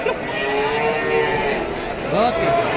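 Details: Female Pegon and Limousin calves for sale; a drawn-out, even moo followed by a shorter rising low, set against busy background voices and crowd murmur.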